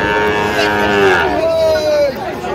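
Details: Sahiwal bull calves on sale at a Kishoreganj cattle market, Bangladesh, 10 October 2025: a short lower lowing sound, then a higher, sustained moo that holds steady for under a second. Bargaining men's voices continue behind it.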